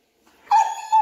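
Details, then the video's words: German Shepherd at bath time, a dog that dislikes baths, giving a short high whimper: a steady whining tone after a brief pause, swelling again at the end, with no other clear sounds. "Giving my german shepherd a bath"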